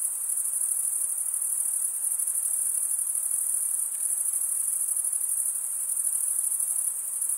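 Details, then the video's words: Crickets chirping, the males scraping one wing's comb-like vein with the other, give a high, fizzing, continuous trill at steady volume, with gentle background hiss and nothing else audible. "Most relaxing cricket sound for 8 hours"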